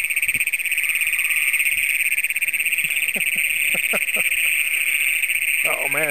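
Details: Great Plains toads, a large population calling at night in a flooded cornfield about 5 miles southwest of Springfield, Brown County, Minnesota, June 27, 2010, on a Canon PowerShot SX100: a loud, steady, high metallic trilling chorus, a man's voice briefly at the end.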